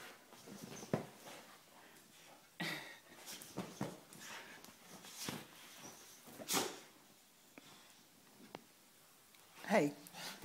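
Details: English Staffordshire Bull Terrier Ruby playing with her toy Big Ted indoors in a lounge room: irregular short snorting huffs and bursts of breath, then a brief rising whine near the end, with a person's voice now and then.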